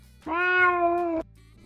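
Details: A domestic cat gives a drawn-out, wavering, low undulating wail, the meow of a deeply unhappy cat, meaning anything from pain to being shut in a carrier or locked out.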